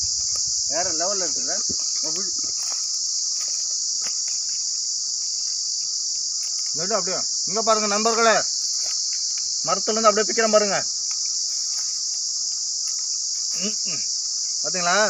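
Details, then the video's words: Cicada singing in a Manila tamarind tree, an unbroken high, sizzling drone held steady for the whole stretch, while a man speaks in short scattered bursts over it. "Sillu vandu satham kodikka Puli marathil kettu"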